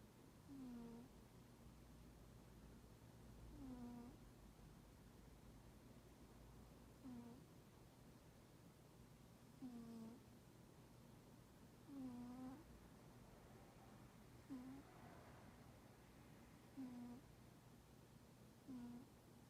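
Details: Sleeping cat that is not friendly toward people snores with soft, low puffing 'poo-poo' breaths, repeating about every two to three seconds, eight in all, over a steady low hum in a quiet room.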